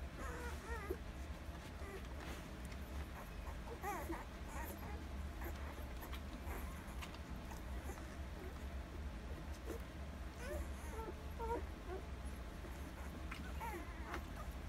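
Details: One-week-old Alaskan Malamute puppies from a Rhema and Cole litter, nursing, September 25, 2020; scattered thin, high whimpers and squeaks, often bending up or down, over a steady low hum.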